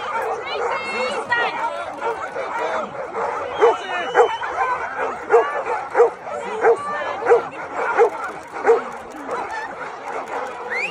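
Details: Golden Retrievers, hundreds gathered at a celebration of the breed's founding. Short barks repeat roughly every half second through the middle of the recording, over constant crowd chatter and other dogs' yips.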